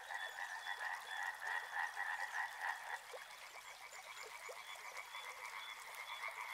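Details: Frogs croaking near a river: a loud, rhythmic pulsing chorus for the first few seconds, then softer, more scattered croaks over a background of gently running water.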